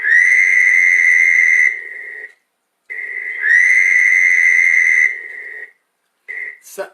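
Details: Fowler's toad, the common toad of Long Island, gives a loud, nasal, buzzy trill lasting about two seconds and cutting off sharply, repeated twice, followed by a short fragment.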